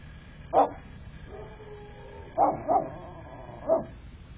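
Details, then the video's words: Dog barking at a friend, captured by a critter camera on the morning of 4 December 2022: four short, sharp barks, a single one, then a quick pair, then one more, over a quiet, muffled background. "barking at friend"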